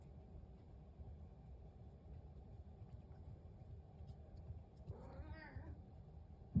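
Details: Indoor house cat at breakfast, purring on and on: a steady low rumbling throb fills the whole stretch, broken near the end by one short rising-falling meow.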